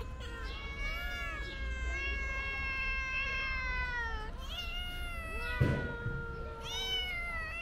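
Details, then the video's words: Hungry stray kitten in Turkey pawing for food, calling with long drawn-out meows that rise then sag, one nearly continuous wail, then a short sharp thump and two more plaintive meows. "Kitten Pawing At Me For Food"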